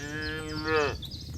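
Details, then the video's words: A single cow in a grazing herd on green pasture gives a short, rich moo that holds steady, swells, then bends downward and cuts off, with faint background noise afterward. "Suara Sapi Moo"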